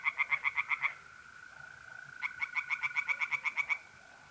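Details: Tree frog calling at night in an April pond in north-east Italy, two short series of sharp, rapid knocking croaks with a brief gap between, over a continuous mole cricket trill.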